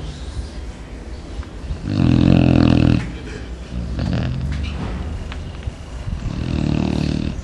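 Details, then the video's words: Chow Chow dog in deep morning sleep, snoring loudly like a person: a heavy, low, grating snore around two seconds in, a softer one near four seconds, and another rumbling snore toward the end. "Cão Chow Chow roncando igual a um ser humano"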